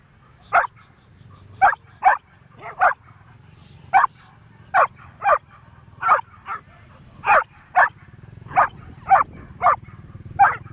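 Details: Labrador golden retrievers, a four-month-old puppy off the leash and two leashed dogs, in a standoff with a black goat during a walk, phone recording; about seventeen sharp barks at uneven intervals, sometimes in quick pairs, over steady low hum.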